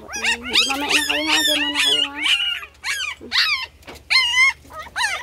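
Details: Several puppies vying for attention with loud crying, their high arched whines piling over one another, then separate sharp wails and yelps with short gaps between, over a low steady hum.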